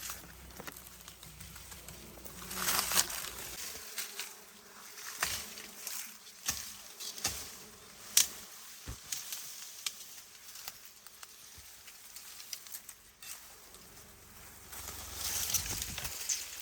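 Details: Wild honey bees around a natural hive during a honey harvest in rural Cambodia; a steady high buzzing hum with louder swells near the start and end, broken by sharp clicks and handling knocks, with brief talk.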